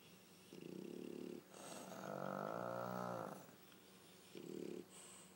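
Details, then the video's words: Asleep side by side, Pug Pangpang and French Bulldog Pipi snore: a brief raspy snore, then a long, swelling, rattling one of almost two seconds, then another short snort. "巴哥犬 二重奏的打呼聲"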